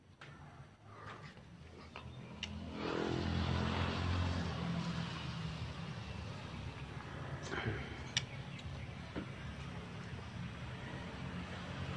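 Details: Steady traffic and engine rumble with a murmur of voices and a few sharp knocks; no birdsong stands out.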